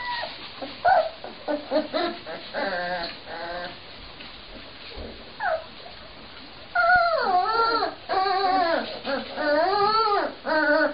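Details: Cane Corso Mastiff puppies of the Fortenero line giving high, wavering whimpers and yips, short bursts early, then longer sliding whines that rise and fall, several overlapping voices toward the end.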